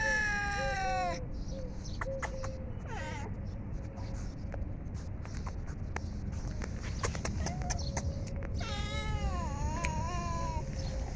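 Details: Hungry cat eating food gives a long drawn-out meow with stacked harmonics that slides downward, then after a stretch of clicks and chewing noises a second wavering meow follows near the end over steady low background rumble.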